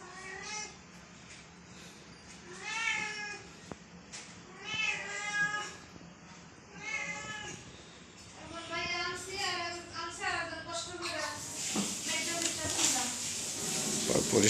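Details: Five kittens and an adult cat meow insistently while waiting for delayed food; a rapid series of overlapping wavering meows, some rising then falling, with human speech and rustling noise building toward the end.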